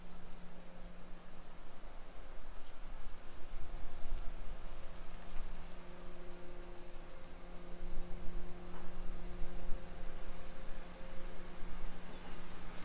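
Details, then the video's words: Summer cicadas droning at 1 PM on 28 July 2021 in Nisshin, a modern suburb about 20 km from downtown Nagoya, Japan: an unbroken high buzzing hiss, with a steady low mechanical hum and street rumble below. "Summer Cicadas Sounds"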